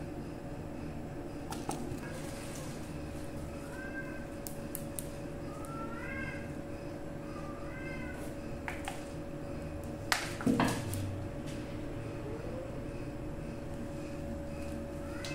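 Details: Kittens and grandkittens indoors. Several soft, short rising-falling meows come irregularly among scattered clicks and taps, with a low household hum throughout.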